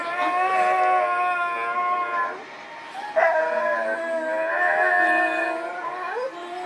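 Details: Singing pet dog holding sustained, wavering howls with bright harmonics, dipping briefly around two seconds, then rising again into long vibrato notes with small upward slides.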